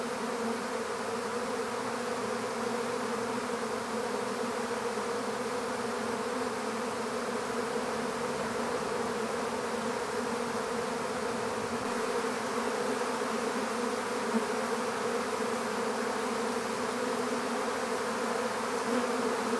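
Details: Honeybee swarm being captured into an empty bee hive: a dense, steady hum with a low droning tone and a brighter overtone above it, holding even and unbroken throughout.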